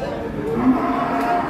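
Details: Low, steady moo from a jumbo cow during a forceful change of its nose rope, held for over a second with a faint harmonic tone and muffled background noise.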